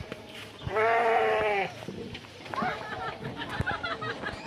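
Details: Garut sheep on a herding outing giving a loud, sustained, quavering bleat of about a second, followed by softer broken bleating and shuffling noises, with a man's voice faintly in the background.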